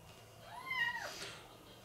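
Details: Rescued abandoned calico (tortoiseshell) female kitten, 15 days old with eyes not yet open, found wet and muddy on a road in the rain in Tokyo, gives a single clear meow that rises and then falls, over quiet indoor background hum.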